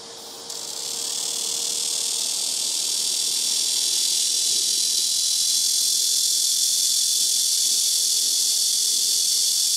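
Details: Black cicada calling from trees on a house rooftop, very loud, several insects taking turns from nearby trees; a dense, steady high buzzing hiss begins abruptly after half a second and holds without a break.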